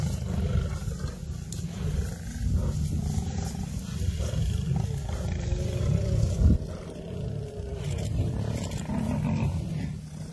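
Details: Lions in a pride battling a buffalo herd, heard as a dense, unbroken low rumble of growling with faint drawn-out moaning tones and a sharp thud just past six seconds.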